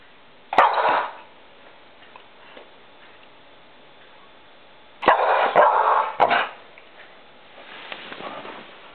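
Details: Poppy, a female pet dog, barks at light reflecting on a wall while trying to catch it: one sharp bark near the start, then a cluster of three after a quiet gap, with a softer sound near the end.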